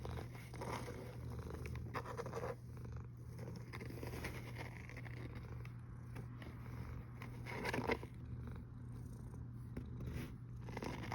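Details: Cat snoring, 1 August 2021 at 13:27: a deep continuous rumble overlaid by soft scratching and rustling noises, one louder scrape near the eighth second.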